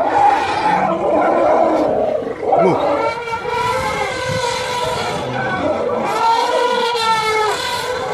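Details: An elephant in Liwonde National Park, Malawi, during a fight with a crocodile, trumpets loudly and continuously, a harsh, brassy blare with wavering pitch.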